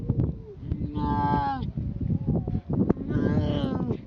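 A grey seal pup gives drawn-out, moaning wails, rich and nasal, almost like a calf's moo.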